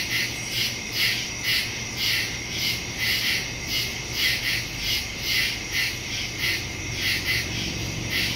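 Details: Nighttime woodland crickets, captured September 2, 2023 using a Samsung Galaxy S22 Ultra and Shure MV88+ stereo mic; shrill, overlapping chirps throb in even pulses roughly every half second over a soft, steady low drone.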